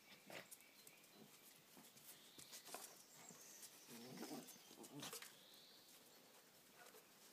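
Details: Two dogs, Sára and Ceasar, fighting: short harsh noisy growl bursts and snarls scattered irregularly, a louder rough cluster near the middle, with faint high whistled birdsong in the background.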